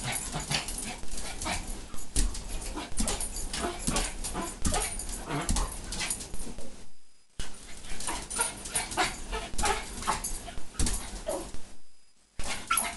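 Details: Pomeranian named Ginny, bouncing excitedly as food is offered, lets out a run of quick high yips and whines amid constant rustling and thumps. Two short silences split the stretch, and a person speaks of food.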